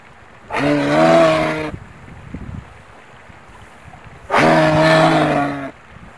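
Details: Two separate moose moans more than a second long, each steady and nasal with a slight rise and fall, separated by a few seconds of low background noise.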